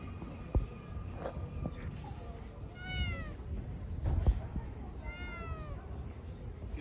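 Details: Pregnant street cat, a stray, meowing twice, each call a short arched mew rising and then dropping, about two seconds apart, amid faint Turkish speech and a few knocks.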